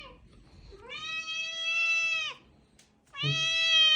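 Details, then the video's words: Domestic cat Bonya begging for a toy: two long, clear, tonal meows, the first drawn out for about a second and a half, then a brief pause and a second, slightly shorter meow, over a quiet background. "Боня выпрашивает игрушку"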